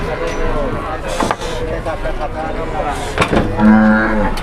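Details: Cattle crowded onto an overloaded truck, lowing in drawn-out, harmonic moos, one near the start and a longer one late in the clip, over a steady engine rumble, clatter and men talking nearby.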